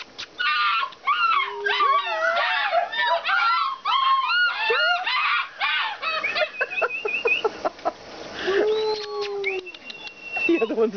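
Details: At a kennel, Alaskan Malamutes give a chorus of arching, whiny yips and short howls while a person nearby talks, urging them to squeak.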